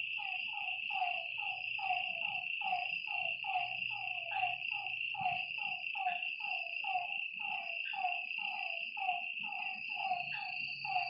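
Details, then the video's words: At a lake at night, a frog chorus of clear, evenly spaced falling croaks, over a hundred in quick succession, rides over a shrill continuous hum and a faint low murmur. "Lakeside night creatures and frog sounds"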